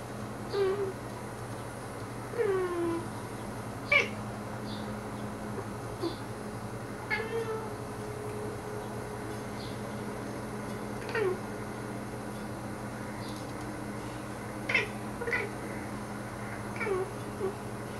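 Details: Salomon, a pet cat indoors, talking to birds outside the window: short chirping meows and trilled chirrups, some rising, some falling, come in scattered bursts every few seconds over a steady low hum.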